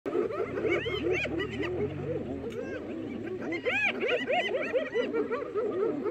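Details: Spotted hyenas in a pack ganging up on a lioness in the Maasai Mara, filmed March 17; a dense chorus of rapid rising-and-falling giggling whoops from several animals overlapping, with a low rumble early on.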